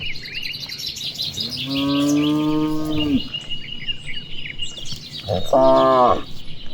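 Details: Cattle out in open rice fields in the afternoon, grazing and calling to one another: a drawn-out moo of nearly two seconds, then a shorter rising one, over steady bird chirping.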